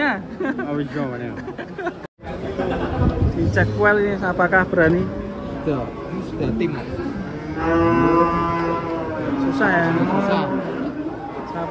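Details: Giant cattle being unloaded from a truck give repeated deep, drawn-out moos with layered harmonics, overlapping one another amid steady human chatter and shouting nearby.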